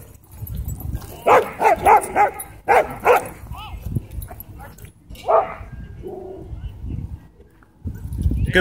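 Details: A dog at a dog park, after a small white dog attacked a German Shepherd: a rapid run of about eight loud barks in two seconds, a pause, a further bark, then a person urging the dog called Baldi to leave it.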